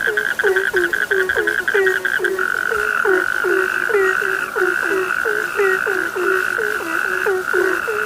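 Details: Chorus of frogs at night: quick, repeated croaks with downward-bending endings from several callers, over a steady high ringing trill that shifts slightly partway through.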